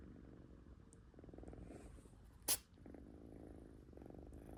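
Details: Sleeping kitten named Latte purrs in soft rhythmic pulses, interrupted midway by one sharp, sudden sneeze before the gentle low purring resumes.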